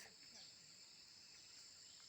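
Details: Cicadas calling in a forest: a steady, high, continuous shrill drone with faint pulsing, unbroken for the whole stretch, under soft low background noise.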